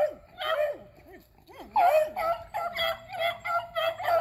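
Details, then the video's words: Beagles Athena, Zeus and River hunting squirrels on April 21, 2020: swooping, yodel-like whines rise and fall, then give way to a steady string of excited barks and bays. "Beagles Hunting Squirrels"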